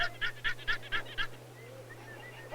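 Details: A wild guanaco in a family group in Patagonia gives a rapid series of six harsh, bleating alarm notes when danger appears, warning the group or signalling the predator, then falls quiet.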